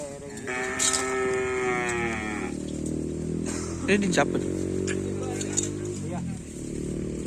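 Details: Madura cattle at karapan sapi race training, Asemanis, before Ramadan: a long harmonic moo for about two seconds, overlapped by a deeper lowing, with crowd voices and background noise throughout.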